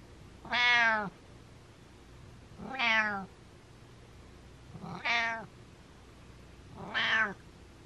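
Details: Butters the cat gives rapid-fire meows in a small room: four strong, rich harmonic meows roughly every two seconds, each rising then falling slightly, over a quiet background hum.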